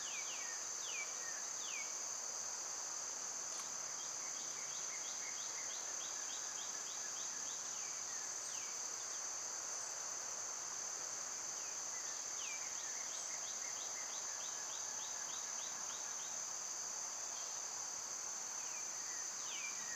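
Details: Cicadas in summer produce a constant shrill buzzing drone, with bursts of quick, rapidly repeated downward bird chirps coming and going.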